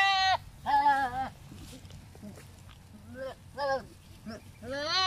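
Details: Philippine native goats, male and female, behaving as during mating; several loud wavering bleats with rich harmonics, some long and quavering, others short, separated by quiet gaps.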